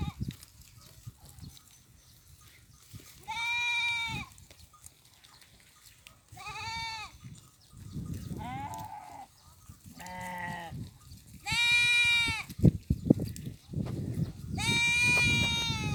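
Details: Farm goats grazing alongside sheep in fields during mating; a series of six quavering, nasal bleats spaced a few seconds apart, some higher and tremulous, over low background rumble.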